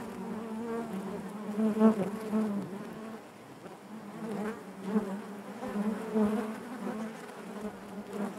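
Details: Hive of honey bees giving a continuous low droning buzz, its pitch steady while the loudness rises and falls in slow waves, brief louder whirs standing out near the start and middle.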